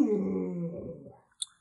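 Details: Pet Alaskan Malamute Lolo gives a short, wavering, moaning howl. It slides gradually downward and fades out after about a second, followed by a brief faint click in an indoor setting.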